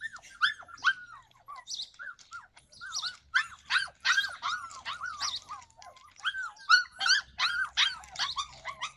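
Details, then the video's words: July 2020 recording of a Yakutian Laika barking and yelping almost continuously for nine seconds, at about two and a half calls per second in an irregular rhythm. "Yakutian laika"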